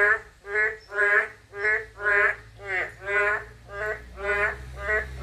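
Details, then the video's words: Eight drawn-out, buzzy croaks from a narrow-mouthed toad, each rich in harmonics and spaced about two-thirds of a second apart, over a faint low hum. "맹꽁이소리 1"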